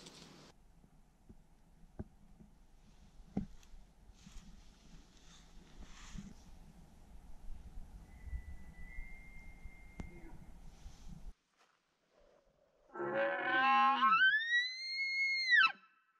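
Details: Morning elk bugle during 2021 archery hunting in Wyoming: after a stretch of soft rustling and handling noise, one loud whistled bugle climbs steeply, holds high, then drops at the end.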